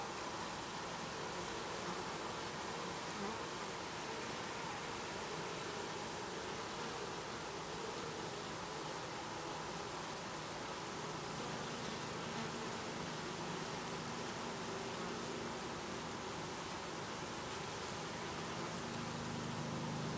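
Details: Honey bees around their hive, captured on a Canon 7D; an unbroken, even droning buzz that holds steady throughout, set against a wide background hiss.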